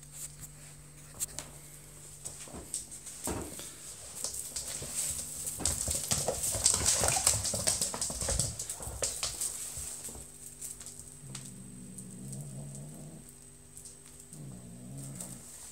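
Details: A 5-month-old British Shorthair kitten playing with a feather toy gives low, wavering growls after a stretch of scratchy rustling play.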